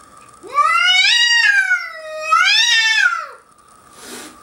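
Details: A pet cat, unimpressed by a young bobcat roaming its deck at Cedar Springs Bed and Breakfast in Whistler, gives two loud drawn-out yowls, each rising then sagging, rich in harmonics, followed by a short breathy hiss.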